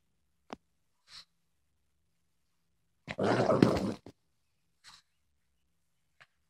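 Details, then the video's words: Indoors, a female Boston Terrier acts tough with a single harsh, raspy grunting growl of about one second, framed by a few soft sniffs and clicks in a quiet room. "Boston terrier thinks she's tough"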